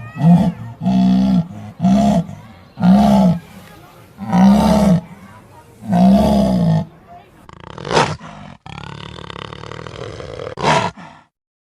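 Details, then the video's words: Tiger giving a rhythmic run of low, moaning roars, each swelling and falling, repeated about once a second for seven seconds, followed by a few harsher, breathier bursts. "The most powerful sounds of tigers are very terrifying"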